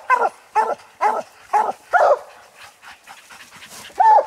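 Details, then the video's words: Treed coon hounds on a night raccoon hunt, old and young dogs together baying up a tree; five evenly spaced loud barks, then softer distant barking and a final strong bark. "coon dog treed hunting"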